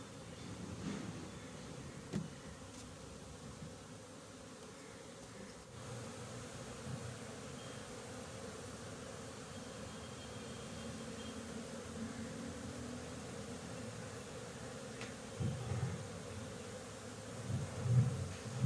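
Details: Honey bees buzzing at a bee farm on 20 January 2021, a soft, even drone of many insects that swells slightly, with a few dull knocks and handling thumps near the end.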